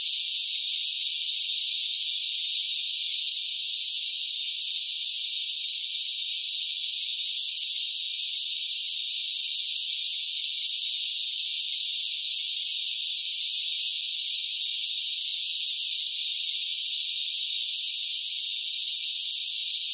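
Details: Cicadas droning loudly amid hot summer weather; a uniform high-pitched electric-sounding hiss runs nonstop, very slightly louder at the start, then perfectly steady with no other sounds present.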